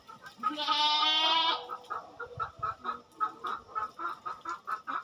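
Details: Farm goat giving one long, quavering bleat of about a second during the farmer's twice-monthly routine, followed by a steady run of rhythmic chicken clucking.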